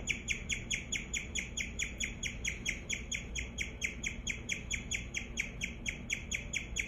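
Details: Guinea pig Daisy chirping steadily: bright, bird-like chirps with a slight downward sweep, repeated rapidly at roughly two to three per second in a long, even series, with a low household hum beneath.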